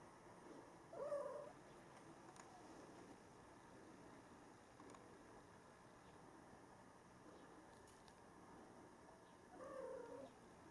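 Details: Norwegian Forest Cat named Lazuli giving two short, soft meows, one near the start and another near the end, separated by a long quiet stretch with only faint low room hum.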